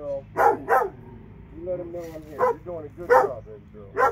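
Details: Two dogs in Alabama bark in sharp, scattered bursts, a pair close together near the start and more spaced over the following seconds, with softer whining tones in between.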